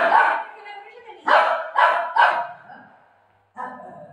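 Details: Golden retriever Buzo barks while playing at home with his owner over a parcel. Three short, loud barks come about half a second apart, after and before a woman's Marathi speech.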